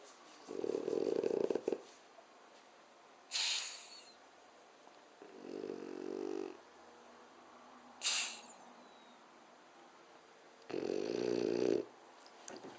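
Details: A sleeping seven-year-old French Bulldog snoring indoors: rough, rumbling snores lasting about a second each, alternating with short hissing breaths, the pair repeating roughly every five seconds.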